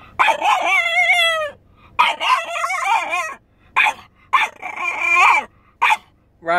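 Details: Upset Frenchie protesting while his owner is inside a store, giving loud, sustained yowling howls with wavering, bending pitch, repeated in about six bursts separated by brief silences.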